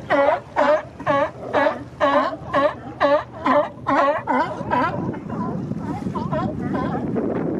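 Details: A male sea lion staking out a mating territory on the Monterey Coast Guard pier, Monterey Bay, in spring, gives a steady run of loud, hoarse barks about twice a second. The barks then fade into fainter distant calls and rushing water.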